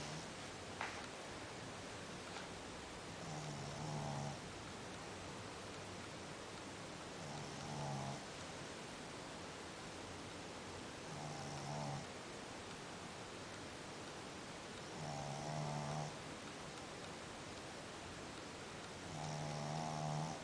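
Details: Dog asleep, giving soft rumbling snores with a nasal buzz, repeated steadily about every four seconds across the stretch, each roughly a second long. A low background hiss fills the pauses.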